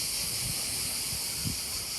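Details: At an apiary in the south of France near the end of the 2021 beekeeping season, on a very hot day, cicadas fill the air with a steady, hissing high buzz that never pauses.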